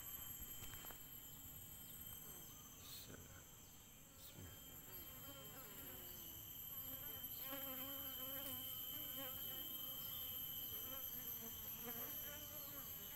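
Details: Asian honey bee colony discovered in a rotten avocado tree: a steady, droning hum of many bees runs throughout, beneath a constant high-pitched whine and a few faint clicks.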